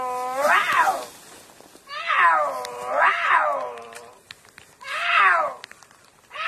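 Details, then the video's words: Puma giving loud, drawn-out meows, each rising then falling in a harmonic-rich arch about a second long, four calls with short quiet gaps between. "Puma meowing"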